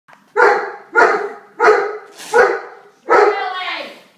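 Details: Domestic dog barking indoors while a nine-month-old baby screams at it; five loud, harsh barks come in a steady series roughly every two-thirds of a second, the last one drawn out longer.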